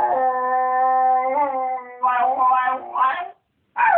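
A Miniature Schnauzer gives a long, even howl, then breaks into wobbling, whiny rises and short yelping bursts. This 'singing' is used to rouse its owner early in the morning.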